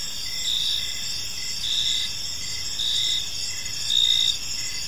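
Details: Evening park chorus of crickets: rhythmic high-pitched chirps, close to one a second, layered over a constant shrill trill, with a soft low hum underneath.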